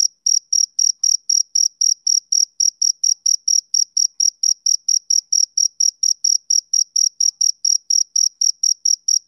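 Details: Male cricket chirping on a summer evening: steady, high, pure-toned chirps repeated about three to four times a second in an even rhythm, with a faint higher overtone and no other sounds.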